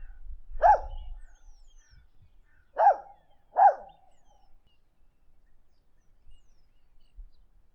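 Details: Dog giving three short, fairly quiet yelps that drop sharply in pitch, one alone and then two close together, with faint low rumble between them.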